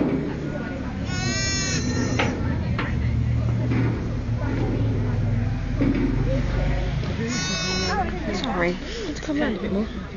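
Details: Sheep with a new-born lamb taking its first steps. Two drawn-out, quivering bleats about six seconds apart, with people chatting and a low hum in between.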